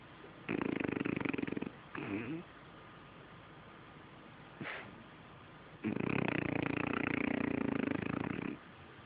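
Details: Sleeping French Bulldog gives two heavy, rattling snores, the first about a second long, then a short snort. A longer grating snore of nearly three seconds follows after a pause.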